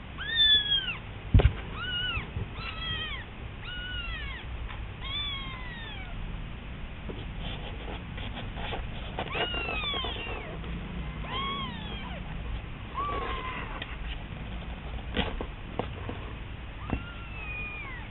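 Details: Domestic kitten, a wobbly-walking youngster, mewing in a thin, feeble voice as if crying for its mother to hurry home; high arched mews with rising-falling harmonics, repeated about once a second in bursts, with a sharp knock near the start, indoors.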